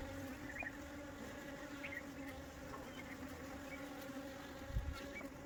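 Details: Honey bee swarm being captured for return to its hive: a steady, low droning hum with a strong tone and overtones, holding level throughout, with faint chirps above and a brief low thump near the end.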